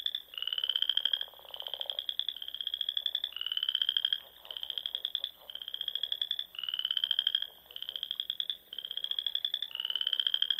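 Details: Nebraska Sandhills frogs calling at dusk in spring by dune ponds: about ten high, rapidly pulsed trills, each roughly a second long, repeat one after another with short pauses; a quieter lower chorus continues beneath.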